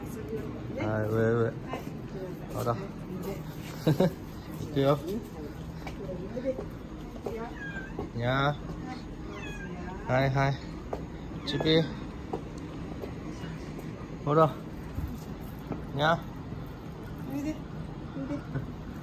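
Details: Stray cat family eating lunch outdoors with a grandmother and her son; several short, rising and falling meows come at intervals among frequent human speech and light background noise.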